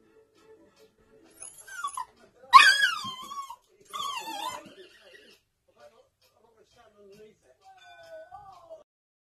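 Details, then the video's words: Female apricot toy poodle crying and howling indoors as she sees her owner and brother, also a toy poodle, playing in the back garden: three loud, high, falling whines close together, then faint quieter whimpers trailing off. "Crying Poodle"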